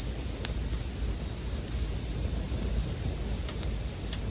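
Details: Continuous shrill ringing of bell crickets, unchanging in pitch, blends with a gentle campfire whose small pops flicker over a low, soft rumble in this short stretch of sleep ambience.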